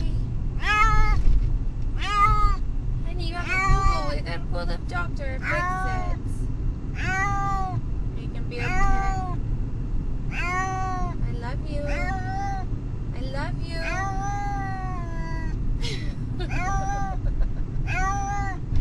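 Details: Domestic cat, distressed during a car ride to the vet, calling repeatedly; a long series of short, strained meows, some bending up and down, nearly every second, under a steady vehicle hum.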